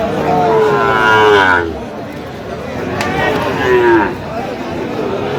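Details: Sahiwal bull calves at a cattle market on 25 October 2025: one long, drawn-out falling moo of about a second and a half, then a shorter lowing call, over steady market chatter and nearby voices.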